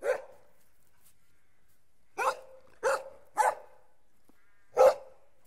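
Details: Puppies: a single sharp bark, a two-second pause, then three barks in close succession and one final louder bark, each short and punchy against near silence.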